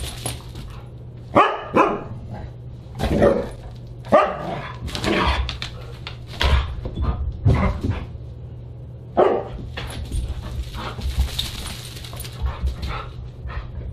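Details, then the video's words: Siberian Huskies at a dinner party, December 29, 2022: dense, excited barking and whining calls repeating every second or so, with clattering and hiss toward the end over a low hum. "Husky Dinner Party"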